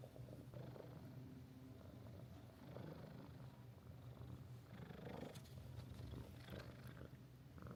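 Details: Mika-chan, the friendly resident cat of Minshuku Nozaki, a seaside hot-spring inn in Ito Onsen, Shizuoka Prefecture, Japan, purring while resting on a guest; a steady low rumbling throb runs throughout, with faint rustling and room sounds.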